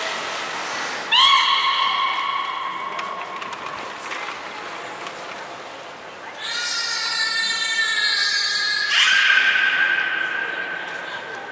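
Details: Captive belugas Hodoi, Gray and Mirai in a training session at Port of Nagoya Public Aquarium, 1 December 2019: a long, steady, horse-like tonal call, then a richer burst of stacked harmonics, ending in a sustained mid-pitched tone with background hall noise.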